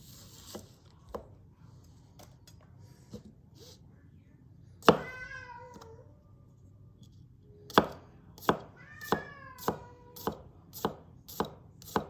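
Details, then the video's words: Cat meowing while a knife slices a carrot: a loud downward-gliding meow, then a second, softer meow, against a steady series of sharp chopping taps, about one every half second near the end. "with cat noises"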